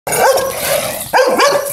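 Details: An aggressive Pit Bull gives two loud, harsh barks in quick succession, the second doubled, with a hissing noisy background.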